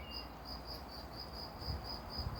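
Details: Cricket chirping in the evening setting of woods and gardens, its high clear pulses repeating regularly about four times per second, with faint low thumps and outdoor hum underneath.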